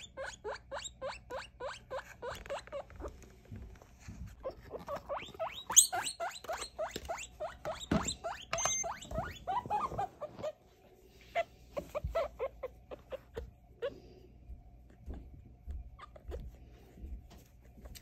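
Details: Over three weeks old, a baby guinea pig squeals repeatedly in quick short bursts during a weight and sex check, the squeaks coming in rapid runs with brief pauses, plus light handling noise and a laugh.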